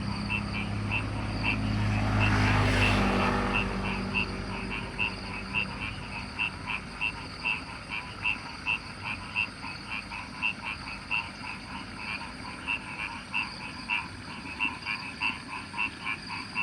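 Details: Frogs calling from rice fields in the countryside, a steady pulsed chorus of short croaks repeating about three times a second, with a passing aircraft or vehicle droning loudly in the first few seconds.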